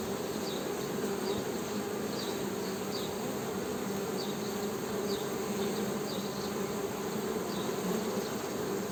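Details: Honey bees humming in a steady, dense drone with low buzzing bands, continuous throughout, while faint high chirps repeat softly in the background.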